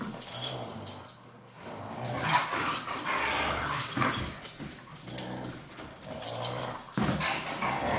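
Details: Siberian Huskies Taiga and Blade at their daily hard play, not a real fight: low rumbling growls rising into harsh open-mouthed snarls, in irregular bursts with brief lulls.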